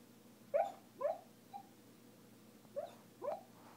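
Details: A female dog talking in her sleep: five short, soft whimpering yips, each a brief squeaky rise and fall, in two bursts within under four seconds.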